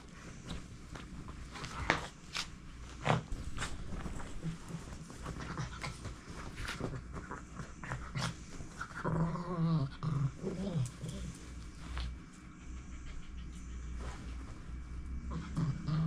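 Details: Pet dogs Hulk and Chico playing indoors at home; low rumbling growls and quick snuffling pants, a wavering higher growl rising mid-clip, then more low grumbles amid faint room noise.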